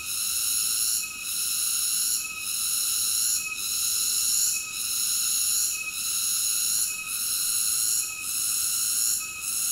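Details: Cicada. A continuous, high-pitched electric drone of cicadas dominates, rich and hissing across the upper range. The wall of sound pulses with short, regular dips roughly every second before surging back to full strength.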